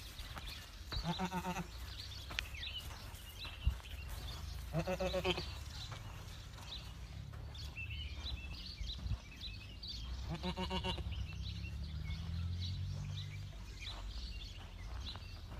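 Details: Farm-raised Boer goats bleating three times, each a nasal, wavering cry under a second long, spaced several seconds apart, over a constant low rumble and scattered background noises.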